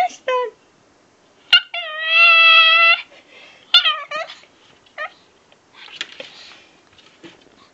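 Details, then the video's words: Pekingese puppy "talking" as if saying "hello": a drawn-out, steady-pitched whine lasting over a second, with brief sharp yelps before and after and soft rustling noises toward the end. "Very Funny-Talking Pekingese Puppy"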